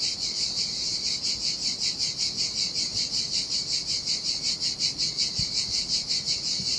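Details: Cicadas singing in the summer heat beside the Sardinia sea on a desolate beach: a high, dense buzzing drone pulsing in regular swells about two to three times per second, steady throughout, with only a faint low rumble beneath.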